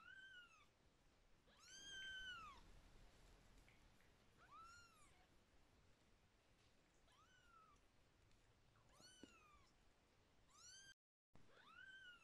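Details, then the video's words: Kitten vocalising happily while being massaged. Six drawn-out meows rise and fall in arched tones, spaced a second or more apart, over quiet indoor background. "how kittens sounds when they are happy"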